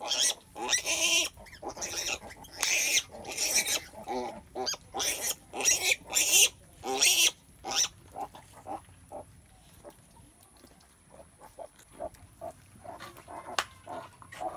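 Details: Pig squeals during a sow's birth: about seven loud, harsh, noisy squeals in the first eight seconds, each roughly half a second long, then softer scattered grunts and short squeaks.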